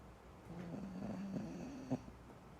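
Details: Mantis the dog asleep beside a foster mom, snoring: one low, steady droning snore held for about a second and a half, with a faint click just after it.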